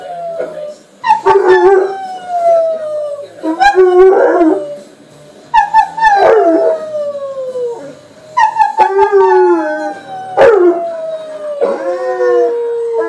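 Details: Shadow, a 15-month-old male American Akita, howling for his owner while nibbling with her: a series of sliding, falling howls with sharp yips between them, repeated every two to three seconds.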